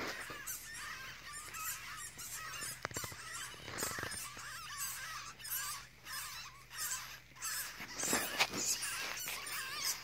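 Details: Baby weasels with their mother near a forklift charger at a recycling station, chirping from hiding; dense rapid high chirps and squeaks, irregular, with faint machine hum underneath.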